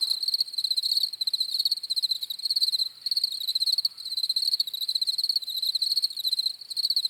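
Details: Crickets chirping in a thick overlapping chorus, rapid pulsed trills in rhythmic swells, high and shrill, no other sounds clear.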